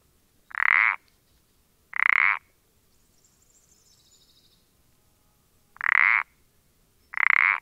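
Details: Pelodytes punctatus recording dated 14-04-20: four raspy, pulsed croaks arranged as two pairs, each pair spaced about 1.4 seconds, a long pause between, faint high chirps in the gap.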